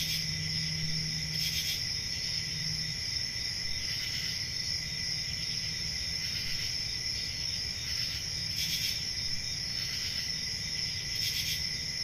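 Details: Steady high cricket trilling on a calm country summer night, broken by brighter pulsed chirps every few seconds, with a faint low hum present early on beneath the chorus.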